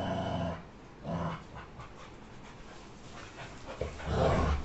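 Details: Labrador Retriever dog while fighting, giving short rough growling bursts separated by quiet gaps, with a louder throaty stretch near the end and faint room noise.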